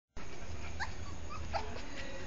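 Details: Puppy giving short, thin high whimpers and squeaks, two or three brief rising notes over a steady low hum.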